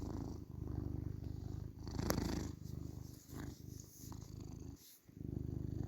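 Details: Male tabby house cat purring: a rumbling low drone with a sharp click early on, a brief drop in loudness toward the end, then the purr resumes.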